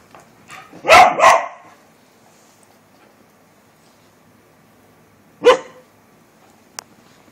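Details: Border Collie barking, described as demanding: a quick double bark in the first two seconds, then quiet, then a single sharp bark near the five-and-a-half-second mark, with a faint click after.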